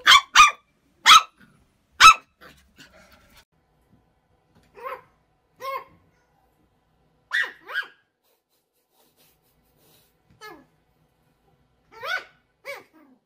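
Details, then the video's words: Puppies barking: a run of short, high, sharp yaps, four quick ones in the first two seconds, then scattered single or paired barks every second or two, with quiet gaps between. "LADRIDOS de PERROS CACHORROS"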